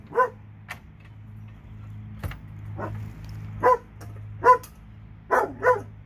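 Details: Two dogs in Alabama; sharp, short barks come singly and in close pairs at uneven intervals, with a steady low hum underneath.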